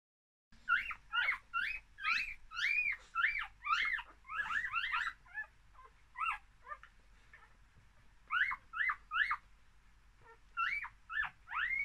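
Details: One-day-old English Cocker Spaniel puppies from a litter of four, two males and two females, born in summer 2019 in Fife, Scotland, squeal in thin, high, rising-and-falling whimpers, several overlapping.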